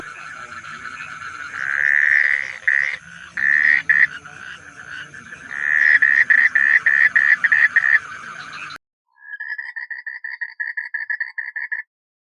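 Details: A male Asian common toad (Duttaphrynus melanostictus) in Cibubur, East Jakarta, gives a rapid, rattling trill of evenly spaced pulses to attract females.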